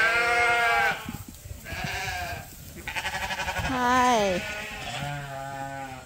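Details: Ewes waiting to be shorn on a Suffolk and Poll Dorset sheep farm call in a series of bleats, one with a quick, fluttering tremble, another falling in pitch, with a person speaking nearby.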